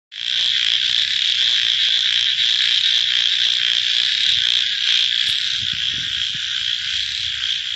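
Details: Frogs calling at night, a dense unbroken high chorus of many overlapping callers, with rapid pulsing croaks standing out faintly beneath the steady trilling wall of sound throughout.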